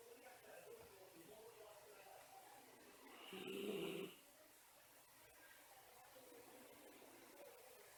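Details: A napping Miniature Schnauzer gives one whistling snore lasting under a second, a breathy, reedy tone over near silence with faint room hiss.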